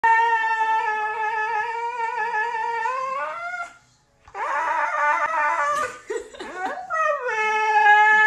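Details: A female Siberian Husky "sings" for her owner, howling in long, wavering tones that rise and fall, with a brief pause midway.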